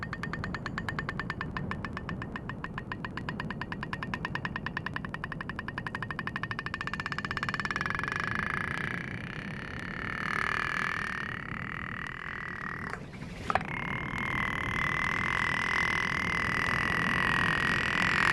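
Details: Humpback whale (Megaptera novaeangliae) produces a rapid train of sharp clicks, then a steady underwater hum; clicking of a kind once thought limited to toothed whales.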